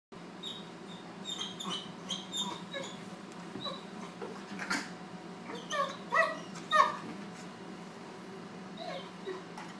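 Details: Great Dane puppy named Draper, around four months old, meeting older dog Lucy at home; high thin whimpers and short yips come in irregular bursts, a few sharper cries near the middle, over a steady low hum.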